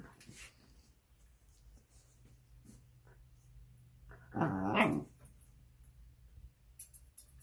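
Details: A Shiba Inu, healthy a couple of weeks after stomach surgery, gives a single loud, harmonic, drawn-out cry amid a quiet room hum.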